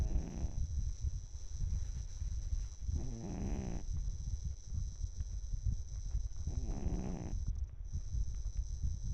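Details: Snoring of a sleeping 12-year-old cat: rough, buzzy intakes at about three-to-four-second intervals, partly buried under heavy low rumble and a thin high-pitched hum.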